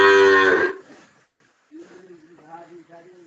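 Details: Cattle lowing: one loud, rich, harmonic moo lasting under a second that fades quickly, followed by quieter low wavering vocal sounds.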